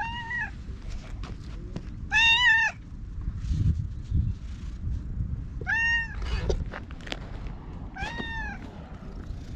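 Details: Talkative orange tabby stray cat nuzzling a person before being groomed with a brush, GoPro recording; four bright, arching meows, one slightly longer and louder, over low background rumble and faint rustles.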